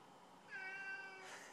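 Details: Indoor cat calling to be let out: a clear, level, tonal meow lasting about half a second, followed by a burst of a person's speech scolding it.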